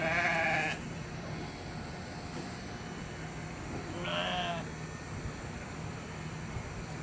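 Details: Hungry sheep eating cardboard in a yard short of grass at Candelaria; a short wavering bleat at the start and another after four seconds, over a steady low hum.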